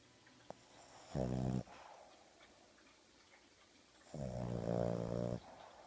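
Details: Oogie, a pet dog flaked out asleep on a sofa in the morning, eyes open and wiggling: two low, rasping snores with stacked harmonics, about three seconds apart, in a quiet indoor room.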